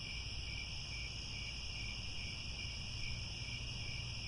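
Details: Grassland crickets at Angkor Wat, Cambodia, at sunset keep up a steady, high, ringing trill in layered tones, with a low rumbling hum underneath.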